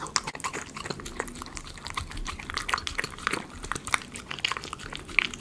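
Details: Miniature Schnauzer eating chicken pot pie dog food in a small indoor room, heard up close: bright crisp crunches and quick licking and chewing clicks in an irregular stream.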